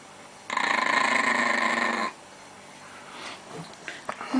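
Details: Chihuahua growls aggressively to guard its pancakes from a pleading person: a loud, harsh, steady growl with rapid pulsing lasts about one and a half seconds, followed by quiet room sounds and small clicks.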